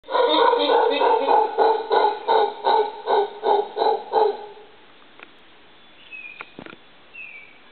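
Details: A howler monkey in a backyard gives a loud run of rhythmic, throaty grunting roars that stops after about four seconds.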